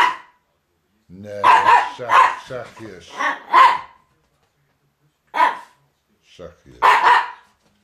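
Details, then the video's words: In December 2009 a Miniature Pinscher named Jip chases Viva from a rug. Rough, clustered barks dominate, and a human voice speaks briefly in Dutch beneath them. Several isolated barks follow a pause. "Pinscher dwerg miniature Jip Vraets verjaagt Viva van het kleedje"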